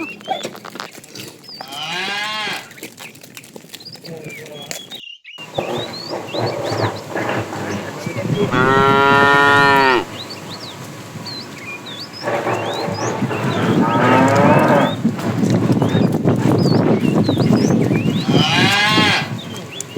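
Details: Tame cows herded in the afternoon, with a fat cow calling the female: four loud, harmonic moos spaced several seconds apart over steady background noise, with faint chirping birds between the calls.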